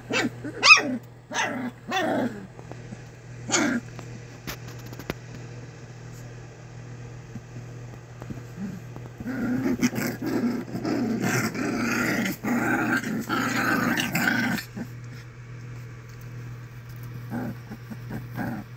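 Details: Sharp puppy yelps and small barks from English Springer Spaniel puppies of Ruby Todd's first litter open the recording, followed by a long stretch of rustling, scuffling noise and then quieter yips.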